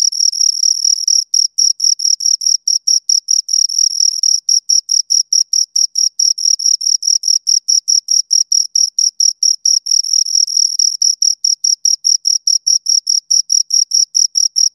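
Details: Continuous shrill stridulation of two crickets, dense short pulses roughly two per second merging into a near-constant high trill, with brief gaps; silent background.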